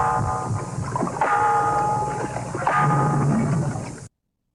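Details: A walrus lekking (courtship display) call, an example of vocal learning: two strange, steady bell-like tones, each held about a second, over low knocking pulses and a dull hum.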